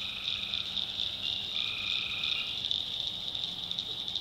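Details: Tree frogs calling at night in a North Carolina backwoods swamp: a dense, unbroken high-pitched trilling chorus, with longer, lower buzzy notes overlapping within it and a faint deeper hum underneath.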